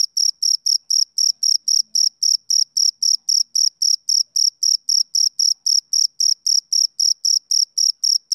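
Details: Male cricket chirping on a summer evening: steady, shrill high-pitched pulses with a fainter overtone above, repeating about four times a second in an even rhythm, with no other sounds.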